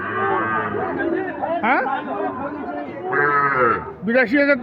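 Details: Young Sahiwal bulls at Ambari market, which runs on Fridays and Mondays; several deep moos overlap, a long one at the start and another mid-clip, mixed with shouting buyers and chatter.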